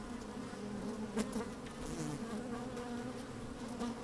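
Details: Inside an opened beehive on a sunny, slightly windy day, worker honey bees move about and buzz, giving a continuous droning hum with a few brief louder flickers.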